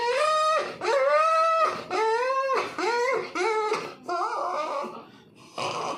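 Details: Puppy giving drawn-out tonal whimpers, each rising then sagging in pitch, about one per second, rich in harmonics, the final cries rougher and noisier, indoors.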